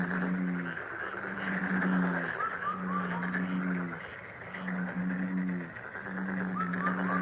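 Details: Frog calling in long, low, humming notes of about a second each, repeated several times with brief gaps, with soft high rising chirps scattered over the drone.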